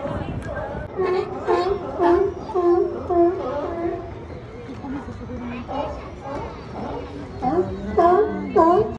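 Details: Several sea lions under the Santa Cruz Boardwalk in California bark in hoarse, honking bursts, calling over one another in quick succession.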